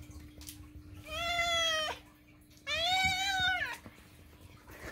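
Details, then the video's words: Pet cat loudly demanding food inside a home: two long, strong meows under a second each, harmonic and slightly arched in pitch, separated by a short pause, over a constant low electrical hum. "cat loudly demands: "NOM! NOM! NOM!""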